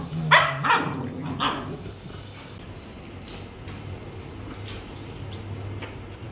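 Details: Rottweiler puppies at a breeding kennel in Hanoi, Vietnam: three or four short, sharp barks in the first second and a half, then fainter scattered yips over a steady low hum.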